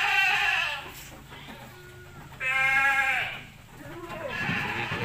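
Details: Bleating from jumbo Peranakan Etawah goats kept on a farm. Three harsh, quavering bleats come at the start, in the middle and at the end, with a low hum and farmyard noise underneath.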